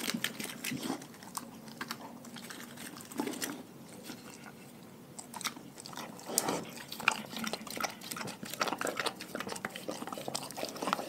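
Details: A pack of dogs fed a raw diet chews and bites through raw food: a quieter start, then busier crunching and wet mastication clicks after about six seconds.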